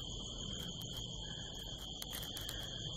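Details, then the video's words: Crickets at night under a harvest moon in the California desert hills, heard from a rooftop: a steady, unbroken high-pitched trill holding one pitch, over low rumbling background noise with scattered sharp clicks and taps. "the sound of crickets"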